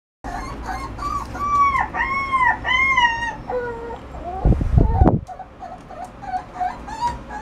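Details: Shiba Inu dog giving a run of arched, whining, howl-like cries that rise and fall in pitch, several in quick succession, broken by a loud noisy clatter midway, then softer whines continue.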